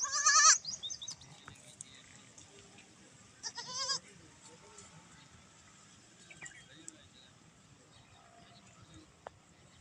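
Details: Two high, quavering bleats from baby goats at play, one at the start and another about three seconds later, with faint bird chirps and a low background hum between them.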